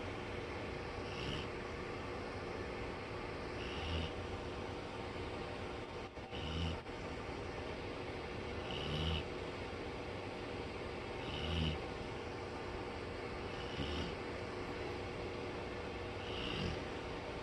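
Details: Buddy, a black Labrador Retriever and heavy snorer, asleep on a bed after bad weather and thunder have passed: deep rumbling snores roughly every two and a half seconds over a steady background hum.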